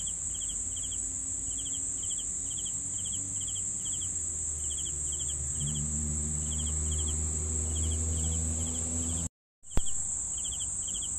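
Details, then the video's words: Crickets give rhythmic three-pulse chirps above a constant high insect drone, with a low rumble building midway and an abrupt brief dropout and click near the end. "CRICKETS SOUNDS"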